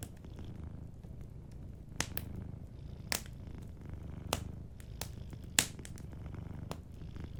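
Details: Gentle purr of a sleeping cat, an even low vibration under a cozy fireplace whose crisp pops and crackles break in at intervals.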